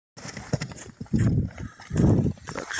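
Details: Stallion out on the hunt, giving two low, rumbling grunt-like bursts about a second apart, each lasting under half a second, with soft rustling and scattered clicks between them outdoors.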